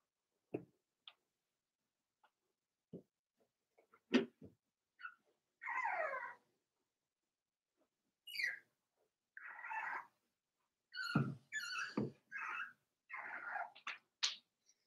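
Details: Four-week-old Cavalier King Charles Spaniel puppies from Daisy's litter in their indoor puppy pen, giving scattered short whines and squeaks with a few longer wavering cries and some soft shuffling between calls.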